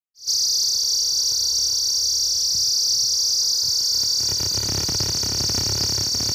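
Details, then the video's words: Cicadas drone in the daytime in a loud, steady, high-pitched buzz that never lets up. "The Cicada's Chrip Sounds/Use Headphones🎧/Amazing Sound Of Cicadas.😍"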